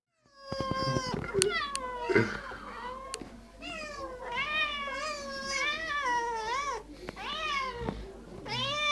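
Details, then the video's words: Two house cats demand food indoors, trading a nearly continuous run of drawn-out, wavering meows that rise and fall in pitch, some long and whiny, with a few faint voices and clicks behind them. "Futter? Wo? Two Cats Talking"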